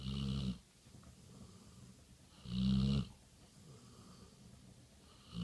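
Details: Betty Bradley, a chocolate Labrador Retriever, snores while asleep: deep, rumbling snores with a breathy rasp come about every two and a half seconds, three heard in all, with quiet breathing gaps between them.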